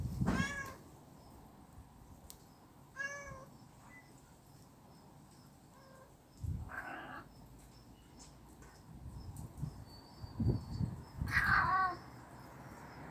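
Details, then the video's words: Street cats fighting in someone's storage shed: several drawn-out, wavering yowls spaced seconds apart, some rising and bending in pitch, with quiet low rumbling noise in the gaps. "길고양이 싸움장소!"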